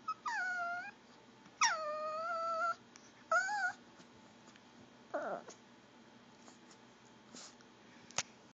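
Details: Female Pomeranian begging for goldfish crackers with gurgling whine noises: three short, tonal, quavering whines in quick succession, then a softer falling whimper, followed by faint clicks and small household sounds.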